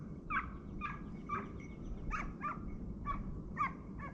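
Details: Hounds (kopay) hunting hare at the 2023-24 season opening, after a dry summer. Distant, yelping cries repeat about every half second in an uneven run over steady outdoor background noise.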